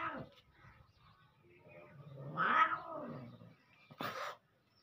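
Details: Domestic cat during a cat fight: a low, drawn-out moaning yowl that swells and bends upward, then ends in a short, harsh, hissing outburst.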